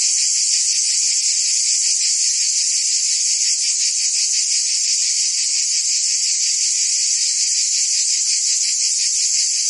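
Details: Many cicadas sing in a Provence summer in France, their high sizzling drone running without a break, finely pulsed, loud and level from start to finish.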